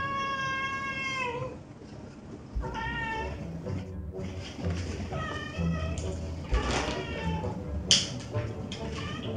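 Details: Domestic cats at home, a calico female and an orange tabby male, indoor-only rescued siblings born April 2021, after one took a pill: clear harmonic meows, a long falling one then shorter ones, with faint voices and soft background music.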